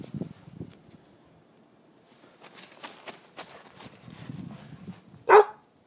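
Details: Goldendoodle puppy, five months old, playing chase in the snow; soft scuffling and footfalls, then one sharp, loud bark near the end.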